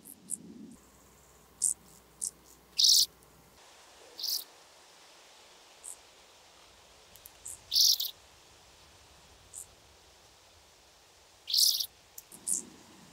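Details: Oedipoda caerulescens, the blue band-winged grasshopper, in Mörnsheim, Germany, 14 July 2023: irregular, brief rasping high-pitched bursts, roughly a dozen per minute, some paired, with quieter ticks between them.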